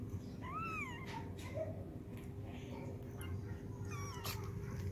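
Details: Cat sounds while a mother cat cleans her kittens: two short, high, arching mews at the start and end over a constant low rumble, with faint rustling in between.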